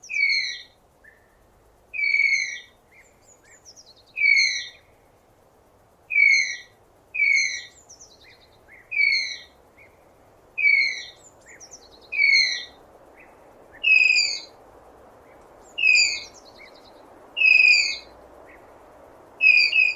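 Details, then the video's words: Repeated tapir whistling, a thin high squeak falling slightly in pitch, given roughly every one and a half seconds for twenty seconds, with a constant low hum of ambient noise underneath. "Real Tapir Sounds"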